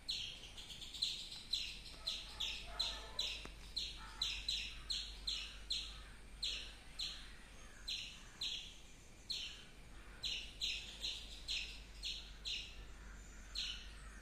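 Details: A squirrel chirps in a fast, insistent series of short, high, piercing notes, several dozen in quick succession, some paired closely together, against a faint low hum.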